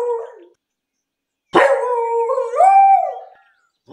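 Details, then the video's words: English beagle in a city park during a walk: a short bark fades, then after a pause a sharp onset opens into a drawn-out howling bay that rises in pitch near the end before trailing off. "Beagle barking in the city park. Loud english beagle dog sound."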